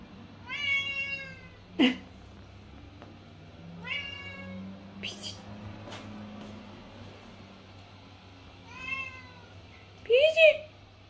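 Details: Male tabby point Siamese cat Mićo meows at his owner because he wants something. Three drawn-out, slightly falling, harmonic-rich meows are spaced several seconds apart. Sharp clicks and knocks and a faint low hum fall between them.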